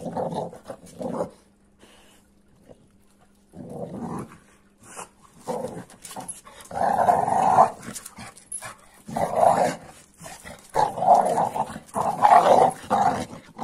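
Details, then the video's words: An AmStaff and a Kuvasz wrestling in rough play, with repeated throaty growls in bursts of one to two seconds that grow louder and denser toward the end, broken by short pauses and a faint background hum. "AmStaff VS Kuvasz 8 Minutes Of Rough Playing"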